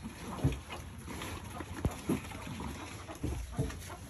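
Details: Farm-raised piglets feeding at a family pig farm: a few short, low grunts, roughly three over four seconds, over a steady background of wet chewing and slurping.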